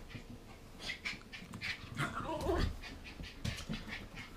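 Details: Mabel, a 14-week-old Border Terrier pup, wound up after eating sugar from a bag of toffee popcorn she found under the bed; a short descending whining cry rises above quick panting and scrabbling clicks indoors.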